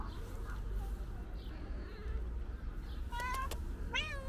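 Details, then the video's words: Loud meowing from a calico cat that seems to want to say something: two short rising meows near the end after a stretch of low rumbling background noise. "Calico Cat Meowing Loudly Wants To Tell Me Something"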